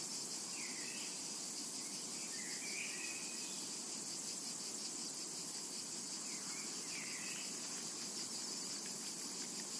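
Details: A steady high cicada drone carries over a summer meadow, evenly pulsed and unbroken, while a bird adds several short rising and falling whistled phrases in the background.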